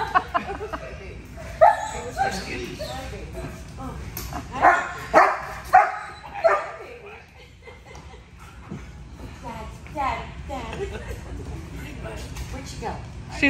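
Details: A German Shepherd and a Belgian Malinois reunited with their owner, giving excited, rising whines and yelps and a few sharp barks amid people talking and laughing.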